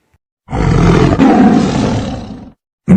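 A tiger gives one deep, rough roar lasting about two seconds, with a second roar beginning at the end.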